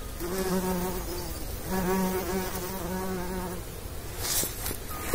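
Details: Pollinating bumblebee among bees: a low, even drone with stacked overtones holds for over three seconds, wavering slightly in pitch as the insect hovers, then fades, leaving faint breeze and a brief rustle.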